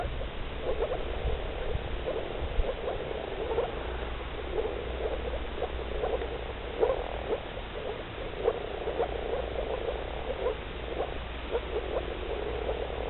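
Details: Dense chorus of male moor frogs wearing blue nuptial coloration: many short, hollow, bubbling notes tumble over one another continuously at an irregular, quick pace, over a low steady hum.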